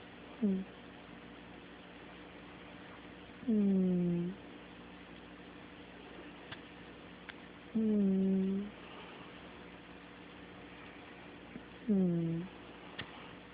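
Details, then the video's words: Sleeping domestic cat snoring: four low, hummed, slightly falling tones, each under a second long, spaced about four seconds apart with quiet breathing pauses between, indoors in a small room. "Snoring kitty"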